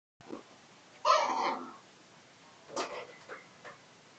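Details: Dog barking: one loud, harsh, half-second bark, then a shorter, fainter yap about 1.7 seconds later and a soft final sound, in an otherwise quiet space.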